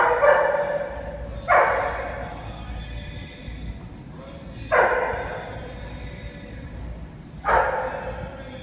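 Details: Barking Rhodesian Ridgeback busy with enrichment puzzle games: four abrupt, strong barks spaced unevenly, roughly every one to three seconds, each fading quickly, with a constant low background rumble.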